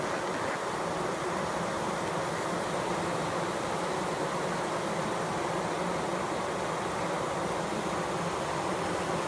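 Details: Bees fanning, recorded close up: a steady, dense buzzing hum with a faint low droning band, unbroken and even in loudness from start to finish.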